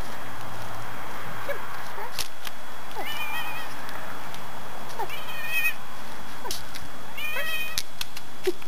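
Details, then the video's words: Scooter the Kitty, a neighbours' pet cat, meowing non-stop on Sept. 18, 2013: three drawn-out, rich harmonic meows roughly two seconds apart, between quieter short sounds, with a person talking softly to the cat nearby. "Non-stop meowing by Scooter the Kitty"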